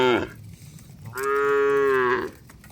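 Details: A cow being driven home to the shed in a heavy downpour in the countryside. It gives one steady, sustained moo of just over a second, with the tail of another call at the start.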